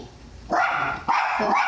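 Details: Jack Russell Terrier Tally-Ho barks loudly while going after a guinea pig: three quick, harsh barks, the last two close together, with no other sounds.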